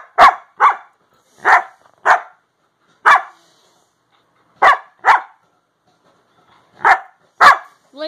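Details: Siberian Husky kept as a pet, talking back to its owner with short, punchy woo-like barks spaced irregularly in small groups, gaps of up to a second between them; a brief human voice enters at the very end.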